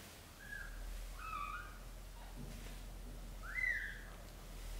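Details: British Shorthair family indoors as the mother cat moves newborn kittens to a small nest; three short, thin tonal mews, the last one rising and louder, with soft rustling and low room hum beneath.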